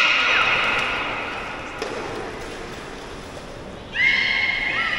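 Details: Captive beluga at the Port of Nagoya Public Aquarium, Japan, giving its soothing voice: high, steady tonal whistles that fade over several seconds, then a sudden loud, bright whistle with ringing overtones near the end and a short falling chirp after it.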